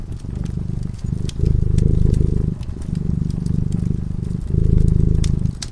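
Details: Cat sleeping peacefully in front of a crackling fireplace, purring: a low, steady rumble that swells and eases in long breaths about every one and a half seconds, with sharp fire crackles popping over it.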